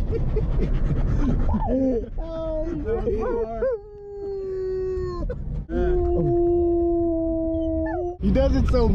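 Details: Siberian husky and German shepherds howling together, set off by police sirens or an ambulance while being driven through a neighbourhood; long sustained tones that waver and slide, with overlapping voices, a brief yelp near the end, engine rumble beneath.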